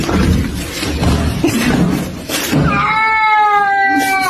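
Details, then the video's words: A pet cat crying for help while its owner chases a rat; after noisy scuffling, one long harmonic meow-like wail slowly falling in pitch, loud and close. "Cat Cries for help as owner chases a Rat."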